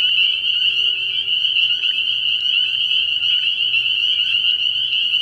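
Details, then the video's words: Massed spring peepers at a frog pond on an early-year night: countless high, piping calls overlap into a steady, shimmering trill, with individual peeps flicking out above the constant drone. "Relaxing Tree Frog Sounds"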